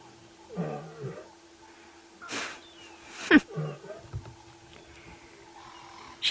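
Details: A lioness mother of the Nkuhuma pride, at a buffalo carcass at sunrise on 13 September 2016 in early summer, gives low, soft moaning contact calls to her cubs. These are two short groaning bursts, with a man speaking and rustling noise.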